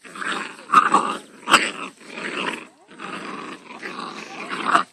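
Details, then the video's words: Five-week-old Labrador Retriever puppies playing in a garden, giving bursts of rough, noisy growling and scuffling with a few sharp yips, loud peaks roughly every second. "Labrador puppies playing - Very cute - 5 weeks old"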